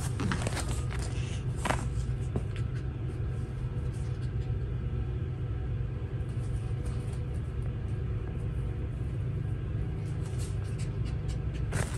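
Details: A continuous low rumble dominates, like a running vehicle or engine, with a few faint clicks and knocks on top and no animal calls.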